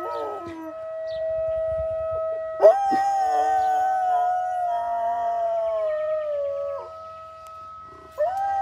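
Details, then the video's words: Dog howling: long, sustained tonal wail with a wavering pitch. It starts with a sharp rise, holds for several seconds, then drops off, and a short rising howl returns at the end. Faint steady background tones are also heard. "Dog howling"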